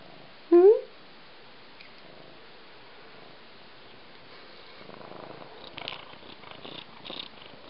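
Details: A male Siamese cat gives one loud, rising meow when asked if he is hungry, as he does whenever he knows food is coming.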